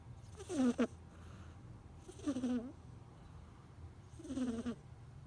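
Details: Kitten snoring in its sleep, three rasping, tonal breaths that bend up then down, spaced about two seconds apart, with a low steady hum between them.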